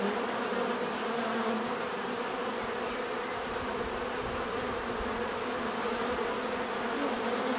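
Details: A continuous swarm-like buzz of many bees outdoors in nature: an even, droning hum with a faint, steady high tone on top and no pauses, only small shifts in intensity.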